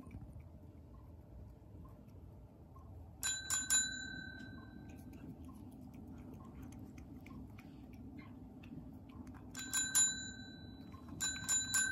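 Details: A quiet room where a small bell is rung in three short bursts of bright chimes, with no animal sound heard.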